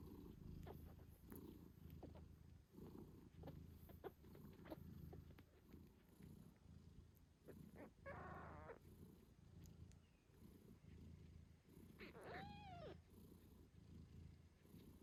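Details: A mother British Shorthair cat purrs loudly and steadily while nursing her 8-day-old kittens, which give thin, high mews and squeaks.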